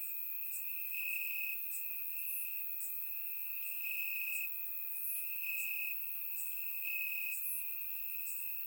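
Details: Night chorus of crickets in grass on a warm summer evening, Bulgaria, surround-miked: one continuous shrill tone pulsing louder every second or so, overlaid by scattered higher sizzling bursts from other insects.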